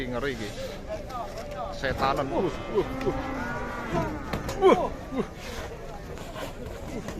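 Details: Raging cow unloaded from a truck bellows in a rough, rising-and-falling moo over a couple of seconds, with voices and clatter around it.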